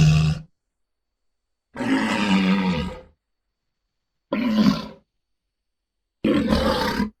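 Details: Walrus giving deep, rasping grunting roars in separate bursts roughly every two seconds, each about a second long and rough-edged, with silence between them.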